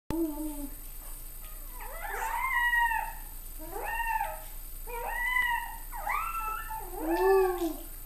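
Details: Chihuahua yowling indoors: a series of wavering, drawn-out howls with bending, slurred pitch, about five bouts spaced roughly a second apart, the later ones louder and more strained.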